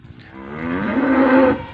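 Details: A Jersey Friesian cow in Punjab, Pakistan gives a single drawn-out moo lasting about one and a half seconds, starting low and swelling louder and slightly higher toward the end before fading.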